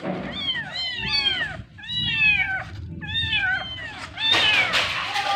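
Kittens mewing in high, thin, arching cries, several overlapping in quick bursts.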